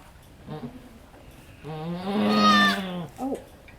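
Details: Goat doe in labor on a farm, birthing the second of three kids: one drawn-out, strained, rising-and-falling bleat lasting over a second, followed by a short grunt.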